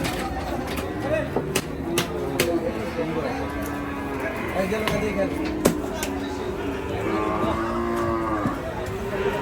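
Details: A big Sahiwal cow being unloaded from a truck gives low, drawn-out moos, several overlapping calls lasting a second or two each, over steady background noise, music, sharp knocks and occasional voices.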